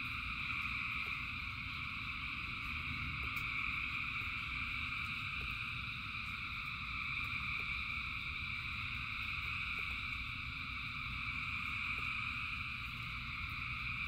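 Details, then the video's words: Thousands of frogs singing through rain produce an even, continuous chorus of mid and high trills, with heavy rain hiss and rumble below and occasional brief clicks. "Frogs in Rain 2 Hours of Frogs, Thousands of Frogs Singing"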